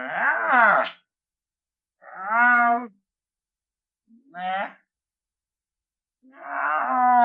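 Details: Lynx producing four short, harsh, moaning yowls spaced about two seconds apart. Some rise and others fall, with a rough, strained tone and silence between each call.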